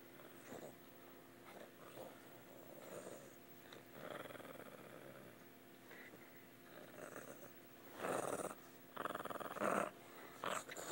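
An angry dog gives a rumbling, raspy growl broken into uneven pulses. The bursts swell and fade irregularly, sputtering like an engine trying to start.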